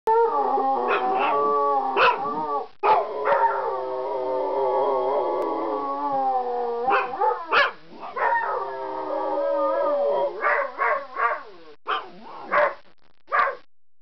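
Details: Dogs howling at sirens, and another dog howling back at them, give long, wavering, tuneful notes that rise and fall, broken by short yelps.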